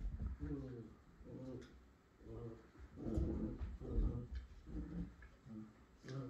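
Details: A Miniature Schnauzer trying to get a Pit Bull to play gives low, harmonic grumbling growls in short bursts about once a second. The bursts are uneven and run back to back.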